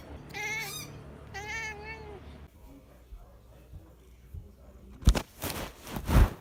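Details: Domestic cat giving two quick wavering meows in the first half, followed by quiet and then loud thumping, rustling handling noises.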